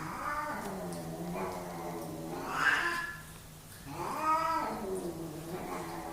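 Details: Two male domestic cats fighting for dominance indoors, long drawn-out harmonic yowls rising and falling in pitch, swelling to louder peaks around the middle and again later, with low continuous growling underneath.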